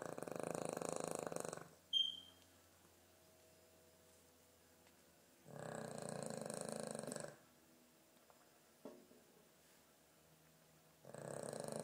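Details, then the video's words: Poppet, a sleeping dog, snoring: long rasping, rumbling inhalations lasting about two seconds each, separated by quiet pauses of several seconds, with a brief sharp click and faint room noise between breaths. "poppet the snoring dog"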